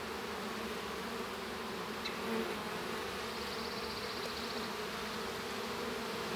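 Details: Honey bees inside a hive as a young bee hatches from its cell; a steady, dense droning hum with layered low tones runs throughout, with a couple of faint higher ticks near the middle.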